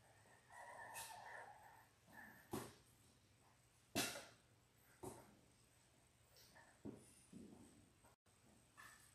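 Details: Three-week-old Labrador Retriever puppies, from a litter of six born January 18, 2022, in an indoor play room on February 12: short, thin high whimpers and squeaks, with scattered clicks and thuds of movement in between.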